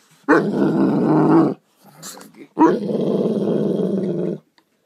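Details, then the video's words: Doberman growling in two long, rough, throaty bursts, each lasting over a second, with a short quiet gap between them and no other clear sounds. "Funny Doberman Dog Compilation"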